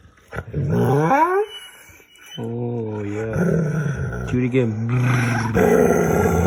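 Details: Pet dog playing games with its owner, making funny noises: a rising, whiny yowl, then after a pause a long, low, growly moaning sound with wavering pitch; a person's voice in the background.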